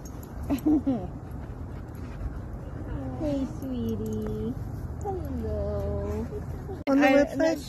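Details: German Shepherd dog, happy, meeting friends at a playground, gives a few high, descending whines, each falling smoothly and lasting about a second, amid steady background hum and people talking and praising the dog nearby.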